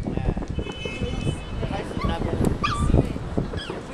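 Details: Toy poodle named Giovanni whimpering and crying during New Year fireworks at Taipei 101, recorded from a home building rooftop; thin high whines and yips rise and fall amid crowd chatter and the low rumble of firework bursts.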